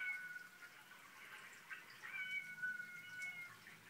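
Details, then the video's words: Domestic cats, called drama queens, making noises that make a Newfoundland dog named Sophie tilt her head: long, drawn-out, whiny tonal meows that hold a fairly steady high pitch and overlap, heard quietly. "Cat noises"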